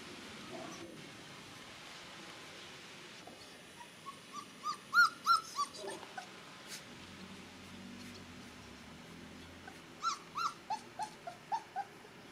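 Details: Gordon Setter puppy from an E litter, out in its first sunshine, giving short high squeaky whimpers in two bursts, about a dozen yelps in quick series, over a steady faint background hiss.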